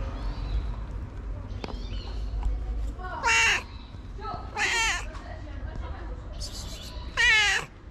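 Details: Stray tabby street cat that has jumped onto its feeder's back: three loud, drawn-out harmonic meows, each bending downward, spaced about two seconds apart, over a low outdoor rumble with faint chirps.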